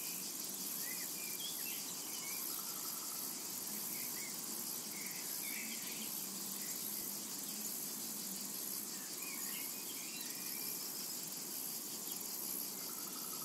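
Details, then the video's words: A dense, shimmering insect buzz fills a summer meadow, unbroken and high-pitched with a fine pulsing texture; scattered short bird chirps and twitters sit lower in the mix. "Summertime and Cicada Ambience"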